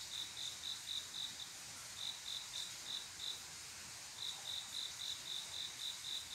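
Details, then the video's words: Male cricket on a quiet summer night calling a female to mate: short high chirps in quick bursts, about four a second, pausing for almost a second midway, over a steady high insect hiss. "조용한여름밤 귀뚜라미소리"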